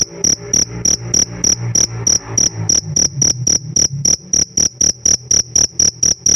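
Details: Captive pet cricket giving rapid high-pitched chirps, roughly four pulses a second, slightly irregular at first; a soft low rumble, possibly faint music, runs underneath during the opening seconds.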